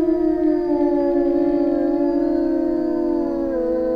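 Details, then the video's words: Several Eurasian wolves of a small Finnish taiga pack hold long, level howls together, two tones layered in harmony, one voice dipping lower near the end. "Wycie wilków europejskich (Canis lupus lupus) / Wolves howling"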